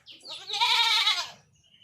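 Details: Goat in a village, bothered by mosquitoes and flies, gives one wavering, nasal bleat lasting about a second, strongest in the middle and trailing off.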